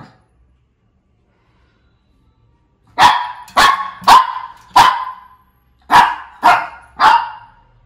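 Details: Shih Tzu barking: after three seconds of quiet, seven sharp, bright barks come in quick bursts, some spaced closely in pairs, each ending abruptly, with no other sounds.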